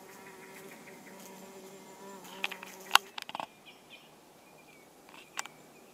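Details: Orange-belted hoverfly (Xylota segnis) giving a low, steady humming buzz with layered overtones for about three seconds, then sharp clicks and taps and a few brief higher squeaks as the buzz fades.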